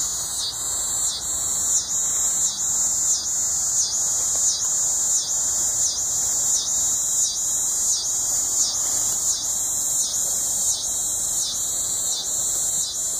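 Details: Coastal scissor grinder cicada, also called the yodeling cedar sucker, calling at Sea Isle City, New Jersey, on August 20, 2016: loud, high, rasping buzz pulsing in a steady rhythm of roughly one and a half beats a second.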